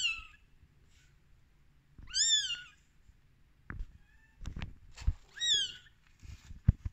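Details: Rescued baby kitten on day 13 crying with short high arched meows, three calls spaced unevenly, separated by handling thumps and low rustling.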